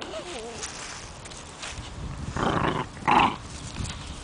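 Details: Young Maltese puppies: a faint, wavering whine at the start, then a rough, growly burst near the middle and a short, bright squeak-like yelp toward the end, over a quiet, steady background hiss.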